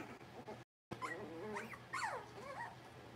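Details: Blenheim Cavalier King Charles Spaniel puppies at six weeks old, indoors in their pen. Thin, sliding whimpers rise and fall repeatedly, with short yip-like squeaks over a low background hum and a brief dropout.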